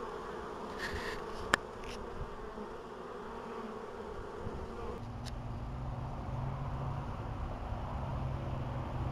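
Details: Honey bees in an apiary, recorded in 2012: a droning buzz whose pitch drops about halfway through as a bee moves off, with a sharp click early on and a constant background hum.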